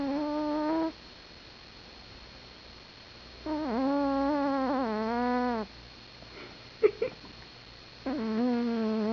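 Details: Snoring from a sleeping pet cat: three long whistling breaths, the middle one wavering in pitch over two seconds, with brief soft clicks in the quiet gap between.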